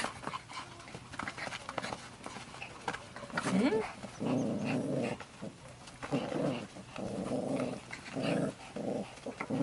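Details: Pomeranian named Louis, a pet kept indoors, reacting quickly to a children's dog toy: low rumbling growls in several sustained bursts, with human voices talking over and between them.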